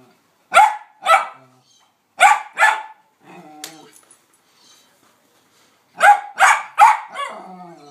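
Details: Pet dog Hamish barking in excitement at a ball placed on a small hill of sand: loud, sharp barks in quick pairs, then a burst of three, with a brief stretch of other voice sounds between.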